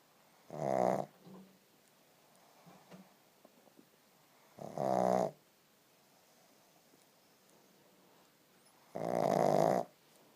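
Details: Sleeping pug snoring: three loud, rough, buzzing snores, each about half a second to a second long, spaced roughly every four seconds, with soft breathing between.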